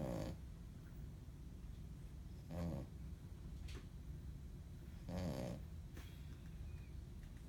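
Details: A female Shih Tzu snores in low, rumbling breaths, each lasting about half a second, when she's really tired.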